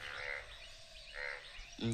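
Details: Many frogs in a village on an early, cold morning give rough, rasping croaks in short bursts about once a second, falling quiet when they hear people; a person's voice begins near the end.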